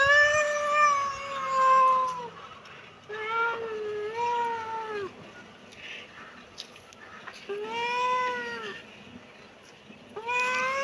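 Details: Kitten meowing in long, wavering, slightly falling meows, each lasting one to two seconds, with pauses between; four clear meows heard, the last rising at the end.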